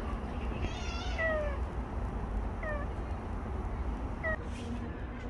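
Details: Bolt the stray cat, in the final recording after a year and five months together, gives three clear falling meows about a second and a half apart, the first the longest, with outdoor rumble beneath.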